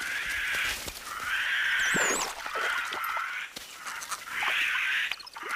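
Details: A low-status white-faced capuchin gives harsh, raspy snake alarm calls in repeated bursts without obvious panic, deceptively making the others leap away so he can keep food.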